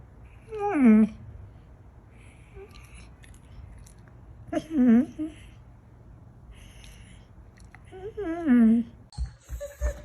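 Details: 'Talking' pet dog in a funny compilation giving three spaced, speech-like howling moans, each dipping then rising in pitch, roughly every four seconds, with faint background sounds.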